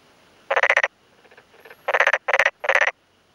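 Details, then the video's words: Rapid pulsed croaks from a male black-spotted pond frog in a flooded rice field in rural Yamaguchi, Japan, early May afternoon, calling by day and replying to a nearby male; several loud trills of quick clicks, with softer distant answering pulses. "昼間鳴くトノサマガエル Pelophylax nigromaculatus"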